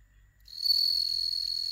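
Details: Captive-bred bell crickets kept indoors in Hokkaido, Japan, watched by cats; a steady high ringing trill begins about halfway through and holds to the end, with faint low hum beneath.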